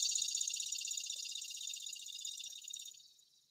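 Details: A single cicada sings a loud, dry, high-pitched buzz with a fast pulsing texture that ramps up and then slowly fades.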